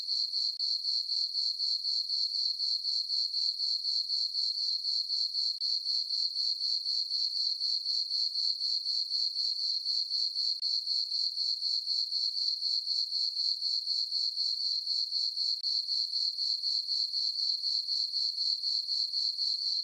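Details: Summer-night crickets in a moonlit farm meadow, chirping nonstop: a bright, high ringing trill pulsed evenly around four times a second, unbroken throughout, with nothing else audible.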